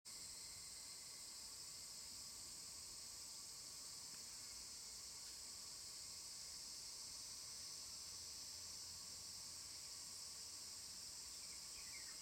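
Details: Evening cicadas calling near Dosokei in Ibara, Okayama Prefecture, Japan, recorded 5 August 2014: a steady, high, shimmering insect drone holds throughout with little change, with faint higher chirps near the end.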